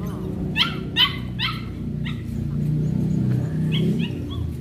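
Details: Hunter, a Belgian Malinois, during an introduction to bite work training: a run of sharp barks, about four close together, then fainter higher yelps, over steady low background rumble.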